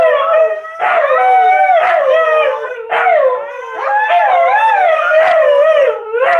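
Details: Several Siberian Huskies, among them the young female Eleanor finding her voice and Memphis joining the girls, howl in chorus for their owner; continuous overlapping howls swoop up and down, pulsing in waves roughly every second without pause.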